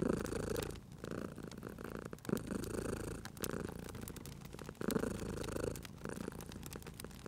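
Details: Domestic cat purring beside a crackling fireplace in a cozy room: a low rumbling purr swelling and fading in breathing cycles, with sharp wood-fire crackles and pops throughout.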